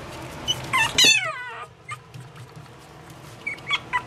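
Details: Pomeranian puppy giving high, squealing whines with sliding, falling harmonics near the start, then a few short, thin squeaks toward the end over a low background hum.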